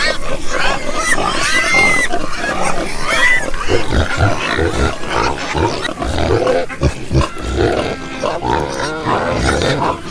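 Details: Several farm pigs grunting and oinking in a low, busy chorus, with scattered higher squeals rising above the deep rumbling grunts.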